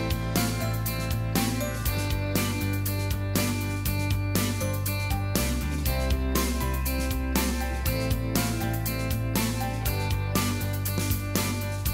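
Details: Upbeat instrumental music with guitar, a steady beat and a strong bass line plays throughout, with no animal sound.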